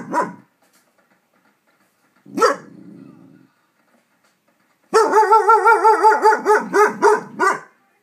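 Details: Big dog in a neighborhood barking while fireworks go off: two single sharp barks, then a fast run of about a dozen rhythmic, strongly tonal yelping barks.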